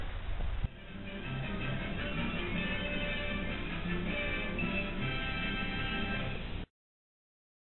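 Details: Music plays from a television with muffled, band-limited sound, then cuts to silence after about six and a half seconds.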